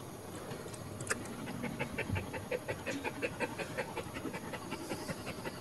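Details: Pregnant Cairn Terrier in labor, whelping and expecting five puppies, panting indoors: rapid, regular breathy huffs, about two to three per second, following a brief rustle near the start.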